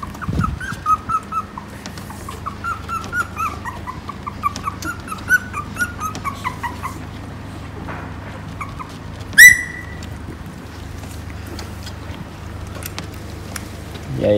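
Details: Phu Quoc Ridgeback puppies from a Vietnamese-bred litter, feeding at their mother. A run of thin, high whines and whimpers, short rising-and-falling notes repeated for about eight seconds, then a sharp clack, over a steady low hum.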